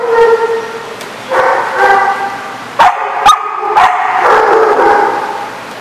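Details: Dog whining in long, even tones, broken by a few sharp clicks or knocks, then swelling into a louder, wavering howl that slowly trails off.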